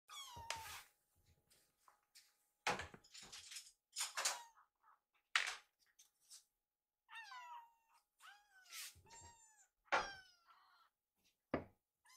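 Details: Rescued baby kittens, angry after mistaking dishwashing in the kitchen for mealtime, give repeated high falling meows in quick bursts, mixed with clattering household knocks and thuds indoors.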